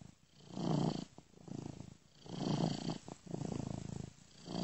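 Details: Low continuous purr of a domestic cat asleep, looped with a software ear-to-ear effect; deep rumbling grows and ebbs in slow breath-like waves, four swells across the stretch.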